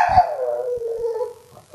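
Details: Pining Boston Terrier bitch answering talk of her absent person with a pitiful, mournful howl, starting high and sliding steadily down into a long wavering tone, with brief background voice.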